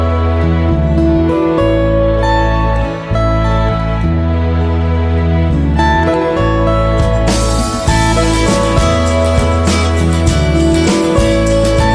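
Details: Gentle instrumental music with guitar and steady low bass plays throughout, building fuller near the end, and no animal voices can be heard.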